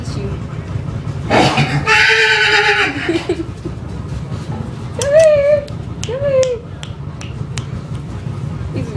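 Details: A young horse (Equus caballus) that has just started freaking out gives a harsh, buzzing squeal lasting about two seconds, followed by a person calling to it.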